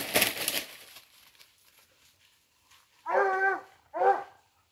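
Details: Hunting dogs flushing out a wild boar give two short, harmonic yelping barks about a second apart, after an opening burst of crunching and rustling.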